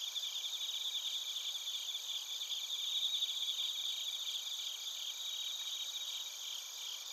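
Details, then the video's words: Bell crickets and crickets from Narita, Chiba Prefecture, Japan, recorded with a TASCAM Portacapture X8; a thick, constant wash of high chirps and trills at several pitches with no pauses. "スズムシとコオロギの鳴き声 - Chirping of crickets"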